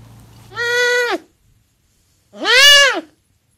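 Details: Pet male serval with a cute voice calling twice: loud, clear, nasal meows, each rising then falling in an arch, about half a second long and spaced roughly a second and a half apart in quiet surroundings.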